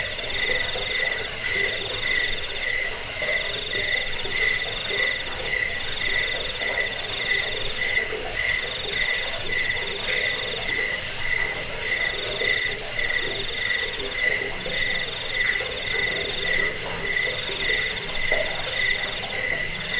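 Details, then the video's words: Cricket chorus meant to drive away rats, lull listeners to sleep and tutor caged birds: steady shrill trilling overlaid with quick, regularly pulsed chirps and faint low throbbing calls throughout. "Suara jangkik pengusir tikus pengantar tidur"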